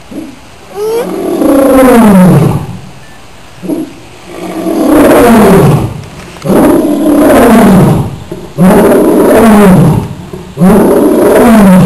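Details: Captive lion at the Rio Grande Zoo in a loud roaring bout: repeated long, falling, groaning roars about every two seconds, each rough and powerful, with a steady high hum behind.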